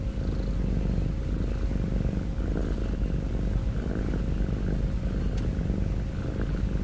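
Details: Domestic cat snoring and breathing heavily: a steady, low, buzzing rumble with a fine rapid pulse that runs unbroken and holds an even loudness throughout.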